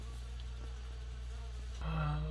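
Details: Frost-struck honey bee rescued and brought indoors, crawling toward the light. It gives a continuous, even buzzing hum over a low steady room drone, ending in a sudden louder rustle and knock.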